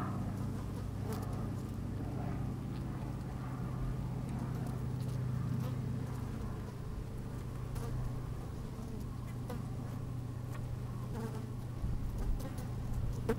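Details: A low, even drone from honey bees busy inside an opened hive on a fine sunny day, captured by a microphone slid into the hive, with faint crackles and light rustling throughout.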